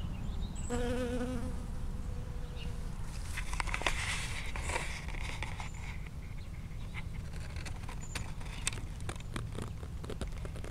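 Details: Bee foraging from flower to flower in a strawberry field on 19 June 2011, recorded from 5 cm or closer. A steady low buzz with stacked harmonics lasts about two seconds near the start, then gives way to rustling, crackling handling noise and a constant low rumble.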